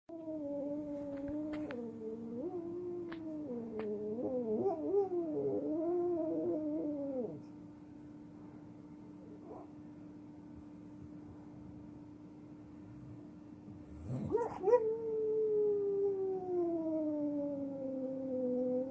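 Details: Pit bull howling in his sleep indoors; long, wavering, tonal howls slide up and down, then a quiet stretch, then another long drawn-out howl that slowly falls in pitch, over a steady electrical hum.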